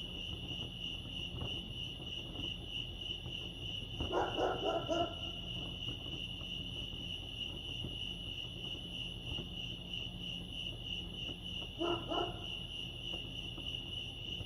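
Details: Crickets at Lake Arrowhead in California keep up a continuous thin, high trill, interrupted by two brief lower, rough bark-like bursts, one around the first third and one near the end.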